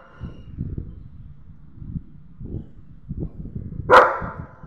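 A German Shepherd gives a single loud, sharp bark at a stranger after a few seconds of low rumbling.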